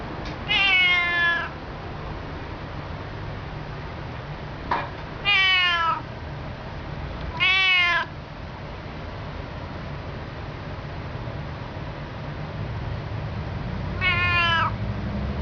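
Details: Female pet cat on a perch on the back of a sofa indoors, chattering at her owners: four loud drawn-out meows, each with a wavering rising-falling pitch, spaced several seconds apart over a low room hum.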